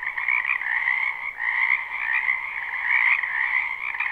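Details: Many frogs calling together in a spring wetland, a live recording with no looping; continuous overlapping trills and croaks merge into an unbroken droning chorus, its loudness rising and falling gently.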